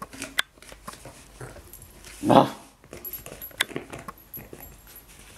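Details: Jenny, a three-month-old Cavalier King Charles Spaniel puppy, plays with soft toys and bottles on a sofa indoors. Midway comes one short, harmonic yelp-like burst, surrounded by scattered clicks, taps and rustling from the play.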